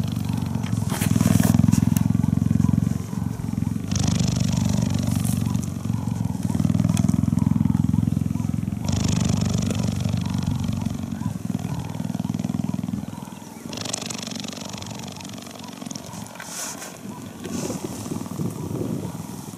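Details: A cuddling cheetah purrs in long, loud, low rumbling phases of about three to four seconds each, alternating with breaths, and fades toward the end among rustling and handling noises.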